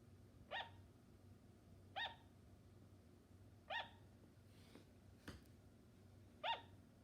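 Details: Sugar glider giving short, sharp barking yaps with a bright harmonic ring, four clear calls spaced roughly one and a half to three seconds apart, plus a fainter sound and a soft click in between, against a quiet indoor hum.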